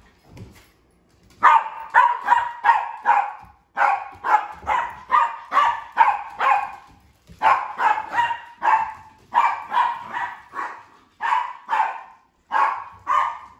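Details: Playing Sheprador, a female sharing the house with two other dogs, gives rapid runs of harsh, evenly pitched barks, several per second, split by brief pauses, with no other clear sounds.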